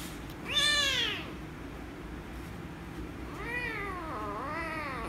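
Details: Angry rescue kitten meowing loudly when petted: one strong arched meow near the start, then two softer, wavering meows after a pause, over a low steady indoor hum.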